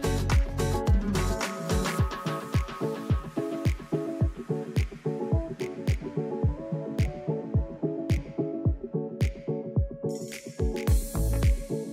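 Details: Electronic music with a steady thumping beat and sustained synth tones, no animal sound present.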